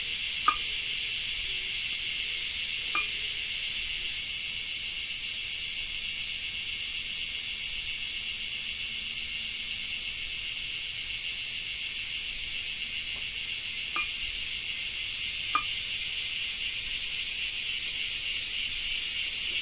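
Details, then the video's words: Summer cicada chorus in Japan during rain, a continuous high hissing drone with a sharp whine on top, holding steady for about twenty seconds, broken by a few faint isolated clicks or taps. "Japan Rain Sound 5of2 - Cicada 2"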